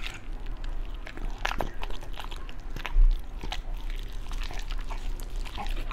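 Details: Pet Beagle chewing raw foods such as chicken leg, duck gizzard and pork liver; irregular moist bites and faint crackles, with one louder bite near the middle, recorded up close.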